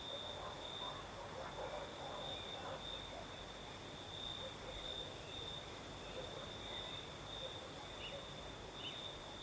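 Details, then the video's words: Crimean night with crickets singing a continuous high trill, accompanied by the night breeze and scattered faint, muffled sounds like distant voices in the lower range. "Сверчки поют"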